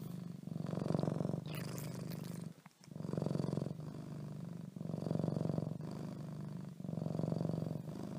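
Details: Cat called Leo under the covers with a low rhythmic purr in repeated breath-length bursts, broken once by a brief rustle and a pause before the rumbling resumes.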